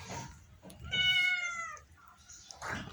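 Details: Domestic cat being coaxed to eat rice gives one drawn-out meow of nearly a second, clear and steady before sliding slightly lower at the end, with a person speaking Bengali just before and after.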